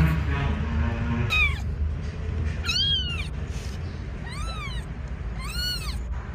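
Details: Agitated kitten meowing insistently: four high, arched meows in quick succession, the last three clear and evenly spaced, after a brief murmur of low background sound.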